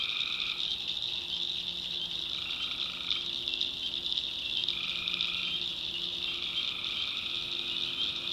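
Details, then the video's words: Swamp tree frogs at night in the backwoods of North Carolina form an unbroken high, buzzing chorus, while lower held tones roughly a second long come and go in a loose repeating rhythm. "Relaxing Swamp Sounds at Night - Frog Heaven - Frogs, Crickets, Forest Nature Sounds"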